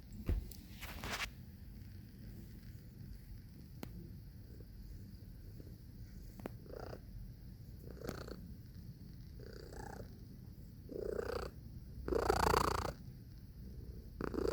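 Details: Domestic cat purring steadily with a low, rumbling buzz, broken by several sharp clicks and a louder rustling burst near the end.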